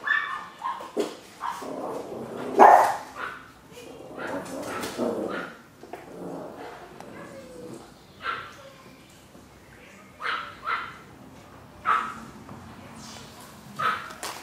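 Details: Chihuahua puppies giving short high yelps and whimpering barks in irregular bursts, with human voices talking over and between them.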